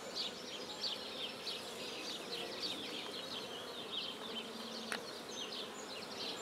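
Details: Black bees buzzing around a hive being started at a beekeeping site in Guernay, Côtes-du-Nord, France: dense, continuous droning hum threaded with quick rising and falling whines of individual bees flying close by.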